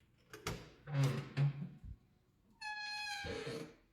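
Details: Orange kitten purring close up in a small room: low, rough pulsing rumbles for about two seconds, then a steady higher tonal sound with a soft voice at the end.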